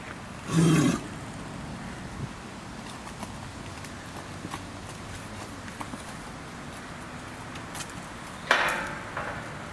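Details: American bison at Obihiro Zoo, Hokkaido, Japan, filmed in June 2019: one short, loud, low roaring grunt with a deep harmonic core near the start, then quiet with faint footsteps, and a harsh noisy burst near the end.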